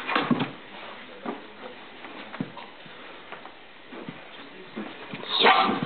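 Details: A bulldog letting off steam after a nap, indoors in a small room. Short, rough, noisy bursts of sound, loud at the start, with scattered quieter grunts, then a louder, broader burst near the end.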